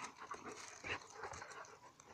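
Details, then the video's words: Dogs locked in a fight, little Alice wrestling Indie: a short run of strained whimpers and yelping squeaks over rough, breathy scuffling. "Fighting dogs - cani che lottano"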